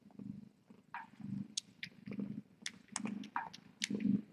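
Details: Tip, a cat at the TinyKittens rescue, purring on a late-night live cam, low throbbing rumble rising and falling roughly every half second, mixed with sharp clicks and faint rustles indoors.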